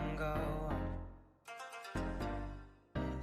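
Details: Plucked, zither-like music plays in short phrases with pauses between them, and no animal sound is heard.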